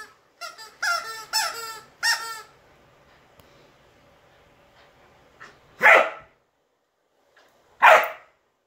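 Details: Nearly four-month-old Giant Schnauzer puppy at play in a game of keep-away: a cluster of high, tonal squeaks, a quiet pause, then two loud, separate barks about two seconds apart.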